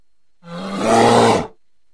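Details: Single deep bear growl from an encounter in woodland next to a house, directed at the recordist: one rough, swelling roar of about a second with a low droning base, rising in loudness then fading.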